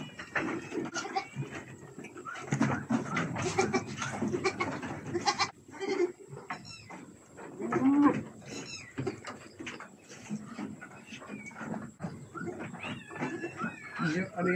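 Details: Goats on a farm being offered the flesh of young durian as a feeding trial; steady clattering, chewing and rustling, with several short, quavering bleats breaking through midway and again near the end.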